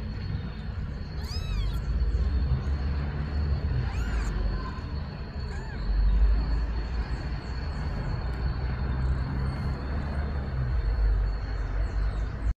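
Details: A mother cat meows, seemingly pleading for her kittens to be placed in the nest: two clear arched meows near the start, then only a constant low background rumble.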